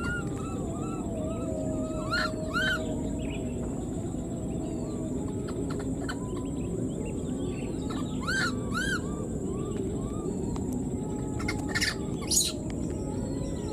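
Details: Left behind in the wild, a newborn monkey keeps crying out for its mother, giving short arched whimpering calls in pairs, one pair early and another after several seconds, against constant rural background hiss.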